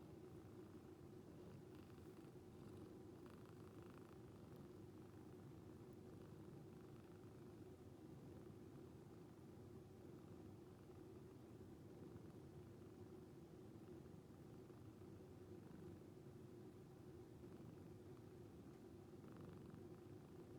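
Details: Sleeping rescued calico cat purring like a snore: a soft continuous low-pitched rumble that holds steady for the whole stretch, with faint higher rustles now and then.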